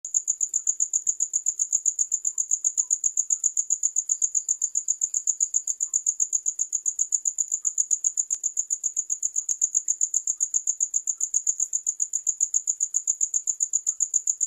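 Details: Cricket chirping without pause, a high, shrill, pulsing trill with steady beats several times each second throughout, with faint clicks now and then and no other animals.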